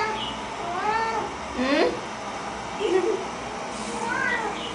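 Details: Domestic cat eager for a Chinese New Year treat of bak kwa utters a string of short, bending meows and chirpy mews, with a person's voice asking about it in between.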